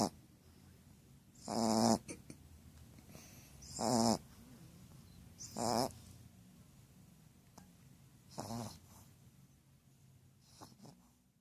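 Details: Pucca the female Shar Pei snoring, five rasping rattles spaced two to three seconds apart, the last ones shorter and fainter, with a quiet room between them.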